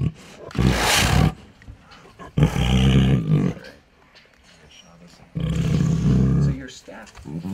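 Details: Sixteen-year-old female Bengal tiger at an animal rescue in San Diego, eating a snack and making 'nom nom' sounds: deep rumbling growly vocalisations in bursts of about a second, with a person speaking between them.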